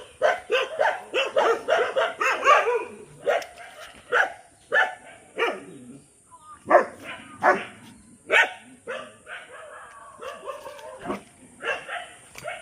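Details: German Shepherd dog barking in a park and scaring people there: rapid runs of loud, sharp barks, several per second at first, then more spaced out, with a person speaking and calling to the dog.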